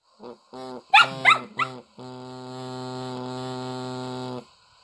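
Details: Shetland Sheepdog, a female, yipping in short rising bursts while trying to sing along to music, before a steady reedy drone takes over and holds to the end.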